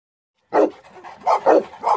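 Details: A South African Boerboel dog barking: after a brief silence, a deep bark followed by three more gruff barks in quick succession.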